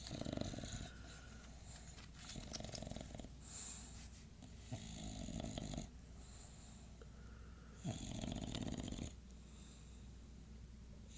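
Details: Night-time snoring from Bradley the English Bulldog, recorded at 2:50am; rough, rattling inhalations repeat every few seconds, low and buzzy with a hissing edge, alternating with softer wheezy exhalations indoors.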